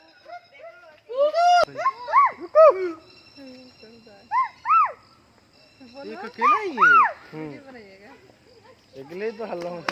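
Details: Gibbon at Sepahijala zoo calling in bursts of loud, rising-and-falling whooping hoots, several in quick succession, separated by quieter pauses, with a faint steady high hum in the background.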